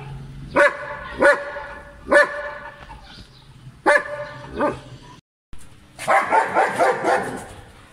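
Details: German Shepherd dog at play in Pakistan, 2020, giving five sharp, harmonically rich barks spaced roughly a second apart, followed by a brief pause and then a burst of rough, noisy scuffling or growling sounds.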